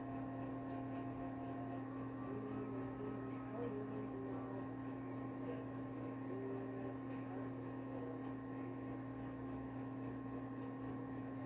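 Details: Even, shrill cricket chirps pulse at a fast, steady pace of roughly 220 per minute, unbroken throughout, over a quiet steady hum with a few faint low tones.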